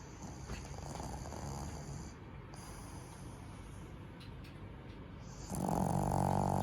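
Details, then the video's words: Tenson, a male black pug born 29 May 2018 in Nagano Prefecture, snoring while asleep, sleeping like a human; a steady low rasping rumble that swells noticeably louder near the end, with no other clear sounds. "【犬のいびき】人間みたいに寝ている 愛おしいイビキ♬ 黒パグ テンソン"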